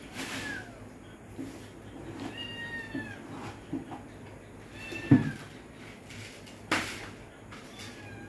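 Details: Pet cats indoors at dinnertime; a soft, drawn-out meow rises and falls near the middle, amid clinks and knocks of feeding and a low room hum.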